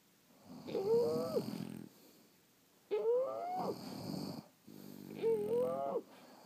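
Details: French Bulldogs asleep indoors, snoring in long breaths about every two seconds, each with a rough low rattle and a whistling nasal squeak that rises then falls, a quiet pause between breaths.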